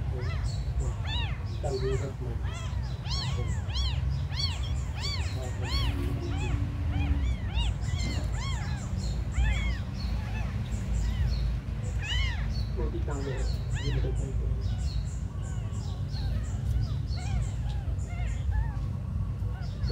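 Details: A chorus of the smallest abandoned kittens mewing almost nonstop for twenty seconds, many thin arched cries crowding over one another, with a steady low-frequency rumble throughout.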